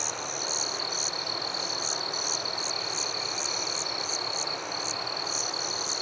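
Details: Crickets in a forest at night fill the air with a steady high trill, overlaid by sharper chirps repeating several times a second.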